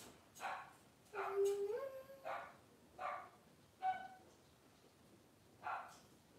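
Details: Cavalier King Charles Spaniel indoors while giving birth to six puppies over two hours: short yelping whimpers, one drawn-out whine that rises and levels off, then several brief yips spaced about a second apart over quiet room noise.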